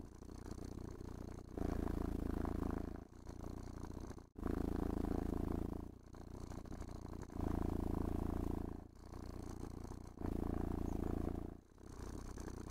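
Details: Pet cat purring steadily while being brushed and stroked indoors, enjoying grooming; a low rumbling purr in long phases, loud on each inhale and softer between, cycling about every three seconds, with faint brushing scrapes.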